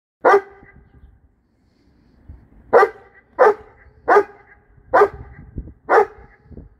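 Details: Three-year-old female brindle Boerboel (South African Mastiff), recorded alongside a female Serbian Defense Dog: one deep, loud bark, a pause of about two seconds, then five more barks spaced roughly one second apart.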